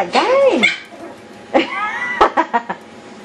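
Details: Yorkshire Terrier puppies in a wild indoor play session: an arched, whining yelp that rises and drops, followed by a longer wavering whine and a few short clipped yips.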